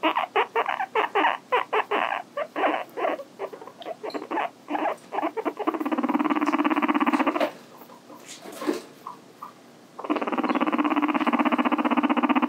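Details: Pet guinea pig, Hi-chan, indoors. A fast run of sharp, pulsed squeaks gives way to long, loud, buzzy sustained calls. There is a short quieter gap, then the sustained calling resumes.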